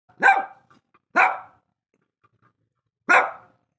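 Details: Shih Tzu barking indoors: three sharp, loud barks, the first two close together and the third after a pause of nearly two seconds, each a brief bright burst with little else heard.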